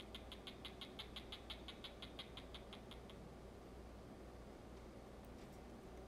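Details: A 9.5-year-old male crested gecko, kept as a pet, biting and trying to mate with a person's hand while distracted by fish. It gives a fast, even run of about sixteen sharp clicking chirps over three seconds, then falls silent over a low room hum.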